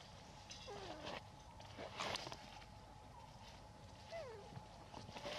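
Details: Elpida, a female hybrid monkey, asks for food with two tonal calls that slide downward, a few seconds apart, over rustling and faint background noise.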